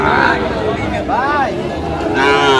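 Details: Sahiwal calves and bulls at a cattle market in Gazipur, Bangladesh: two drawn, arched moos with rich harmonics, one near the middle and one starting at the end, over loud crowd chatter and speech.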